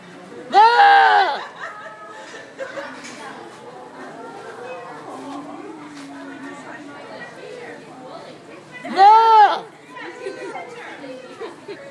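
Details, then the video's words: County fair goat in Rhode Island giving two loud human-like screams about eight seconds apart, with crowd chatter and murmuring voices filling the gaps. "Goat Screaming Like a Human"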